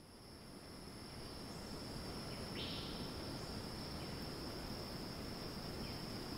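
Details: Cicada screeching in rainforest at Ton Pariwat wildlife sanctuary, north of Phang-Nga, Thailand: a steady high whining drone held without pause, a second fainter tone above it, over a low rumbling forest hiss with one brief rising chirp midway.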